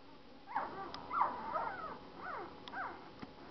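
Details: One-week-old Saint Bernard puppies whimpering: several short, wavering squeals rising and falling in pitch, some with quick trills, coming in irregular bursts over a quiet background.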